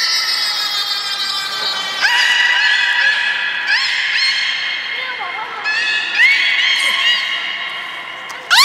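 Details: Beluga vocalizations recorded 16 March 2019 at Nagoya Port Aquarium while the whales ate fish and then played. Dense harmonic whistling carries throughout, broken by sharp rising sweeps near two and six seconds and a few bending squeals.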